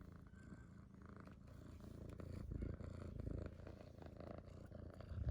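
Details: Rescued kitten purring indoors: a steady low rumble pulsing about four times per second, continuous throughout with slight swells in loudness.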